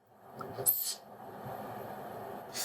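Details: Siberian musk deer (Moschus moschiferus) gives a sharp, breathy threat hiss when it feels threatened. The call is rarely heard, unlike roe deer or water deer calls, with most energy at very high frequencies around 13,000–14,000 Hz.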